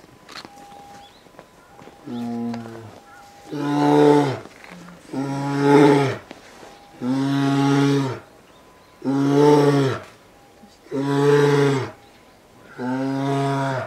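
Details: Female polar bear cub, two years old, caged at Maruyama Zoo, Sapporo, Japan, winter 2017, calling persistently to nurse: a steady series of six loud, deep, groaning moans repeating about every two seconds.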